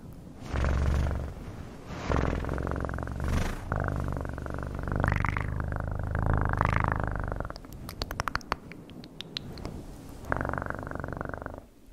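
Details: Pulsing cat purr in several swelling phrases, each inhaled and exhaled rumble clearly separated, interrupted around eight seconds by quick clicking and tapping before the purring resumes.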